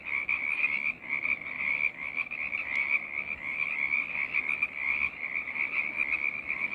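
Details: Dense frog chorus: numerous overlapping croaks form a constant shimmering trill, with a brief sharp click near the middle and the level wavering slightly.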